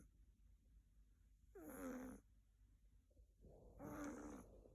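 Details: A sleeping female Siberian kitten, Sakura, born February 2021, snores on her owner's bed. Two buzzy, tonal snoring breaths about two seconds apart, the second preceded by a soft airy exhale, with a faint steady background hum.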